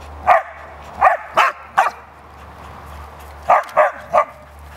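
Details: Cash correcting the young dogs Vinnie and Champ after long teasing during play. Seven clipped, high yelps: four in quick succession, a pause of about a second and a half, then three more close together.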